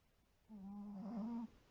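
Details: White Pomeranian named Shiro snoring while asleep indoors: one humming, tonal snore lasting about a second, a low steady note with bright overtones that rises slightly near the end, then quiet.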